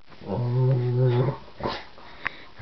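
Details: Dog making what is described as bear noises indoors in a small room: one low, steady, rumbling growl lasting about a second, followed by a few faint knocks and rustles.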